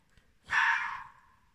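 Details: Fox barking at night in October 2020, said to want to play with a cat; a single harsh, raspy bark of about half a second that fades into a thin trailing tone, with quiet surroundings otherwise.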